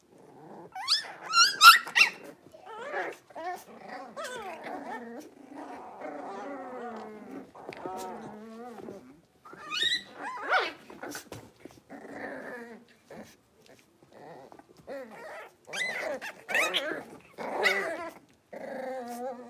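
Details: Cavalier King Charles Spaniel puppies, five blenheims born at New Year, play in their big new pen: low rumbling puppy growls mixed with sharp yips, squeals and whines in irregular bursts, with quieter gaps between.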